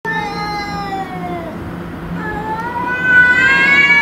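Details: Domestic cats squaring off against intruder cats: long drawn-out yowls with rich harmonics, one sliding slowly downward and then a louder rising, wavering wail taking over near the end.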